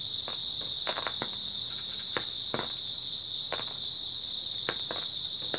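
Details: Grass insects chirping on an early autumn night, a dense, unbroken high-pitched trill held steady throughout, with scattered sharp clicks and taps underneath.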